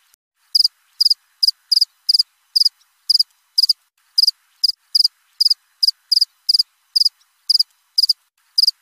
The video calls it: Suara jangkrik krik.. krik.. 1 jam nonStop...!!